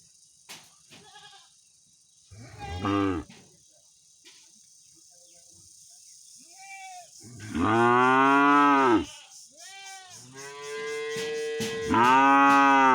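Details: Angry village cow calling its owner: a short deep moo near three seconds, then long, loud, harmonic-rich moos around seven to nine seconds and again at the end, with fainter lowing between and a steady high hiss throughout.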